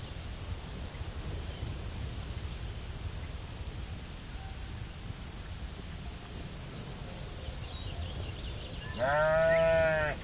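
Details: Sheep on a field: a long stretch of steady, hissing outdoor background noise, then near the end one loud, wavering, harmonic bleat lasting about a second.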